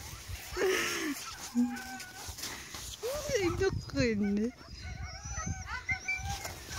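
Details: Young Greenland Dog puppies at a first encounter with other puppies besides Siumut, 5/6/17, giving short bent whines and squeaky yelps that slide up and down, over steady human chatter.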